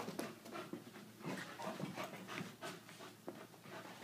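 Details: Quick, irregular huffing breaths while an Irish Wolfhound plays with an Aussie-Doodle puppy: soft airy pants, roughly three per second, with small sharp scuffs between them.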